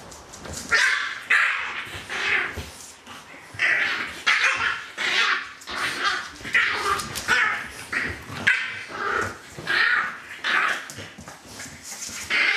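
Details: A dog litter, Litter A of Celtic Mist, gives repeated high yips and squeals about every half second, bright and overlapping, several voices crowding together, with faint rustling underneath.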